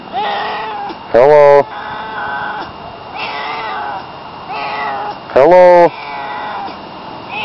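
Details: Barney the house cat gives repeated rising-falling meows, interrupted twice by short, loud, harsh voiced bursts, with quieter meows between them and a low steady background hum.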